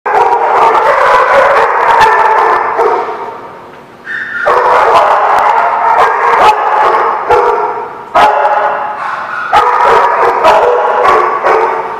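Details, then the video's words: Dogs barking at The Barking Lot on 18 November 2017, a dense overlapping chorus of loud, harmonic barks and yips, with a brief lull near the fourth second before the barking resumes. "The Barking Lot"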